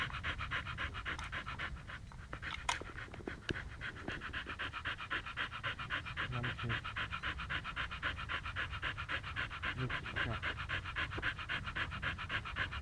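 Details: A Siberian Husky in Pleven, Bulgaria, staying in one place, pants in fast, steady, breathy pulses, about three to four per second, throughout; a few faint clicks and knocks are heard in the background.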